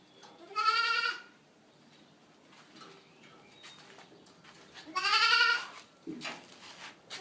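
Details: Boer goat kids from registered dams: two loud, nasal, harmonic bleats, each about half a second long, one near the start and one about four seconds later, with a quiet background and a brief faint sound at the end.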